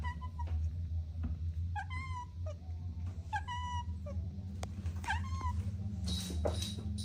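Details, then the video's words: Kittens at play with their mother and two siblings: a handful of short, clear mews, each bending upward then dropping, spaced roughly a second apart, over a steady low hum and occasional scuffling taps. "Relaxing Cat Video 4K: Adorable Kittens Playing with Mom & Two Siblings | Soft Meows"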